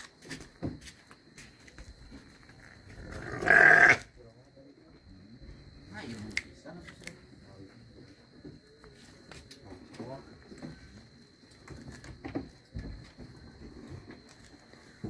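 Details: Garut sheep giving one loud, harsh, rasping bleat of about half a second, while people talk quietly before and after it.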